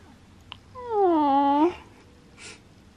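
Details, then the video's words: Butters, a pet cat that likes to be the center of attention and have all eyes on him, gives one drawn-out meow of about a second with a rising-then-falling tone in a quiet indoor room; a small click before and a soft rustle after. "Meowing Cat Likes To Be Center Of Attention"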